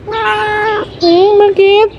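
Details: Pet cat named Ming, described as sick and drooling, meowing three times: a long steady tonal meow, then two shorter meows with a slight rise and waver, with a man talking softly in the background.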